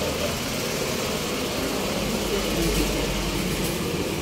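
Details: Steady idling engine rumble with traffic noise and faint voices; no animal sound is heard.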